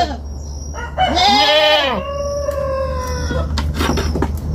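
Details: A young farm goat lets out a single strained bleat that arches up and down, followed by a long flat drawn-out tone and some scattered clicks and knocks, with a constant low hum beneath.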